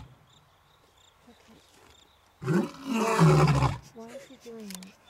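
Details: Male lion, one of two eight-year-old brothers, awake on an African game reserve. It gives a single deep, rumbling roar of about a second and a half. Steady cricket chirps run underneath, and a man speaks afterward.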